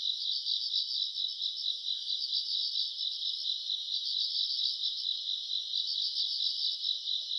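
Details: Summer-night grass insects, recorded in August, keep up an unbroken shrill trilling chorus, pulsing rapidly and steadily throughout, with a faint higher shimmer above it.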